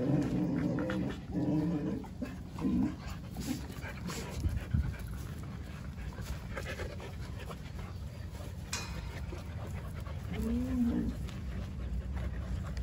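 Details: First meeting of a new Jindo puppy, Songi, with resident white-eyed Jindo dogs who greet her; low, wavering whines fill the opening three seconds, followed by quiet rustling and one more brief whimper near the end.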